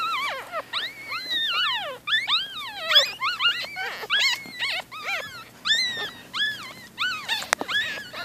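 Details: Newborn Shih Tzu-Bichon puppies, four days old, whining in a continuous overlapping chorus of high, wavering squeals that rise and fall sharply, several pups calling at once with barely a pause, little background noise.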